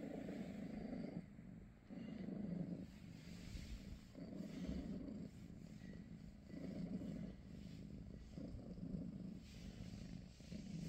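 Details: Purring from a British Shorthair cat in the morning at home: a low rumble swells and fades in alternating phases, about one cycle every two seconds, with small breaks between them.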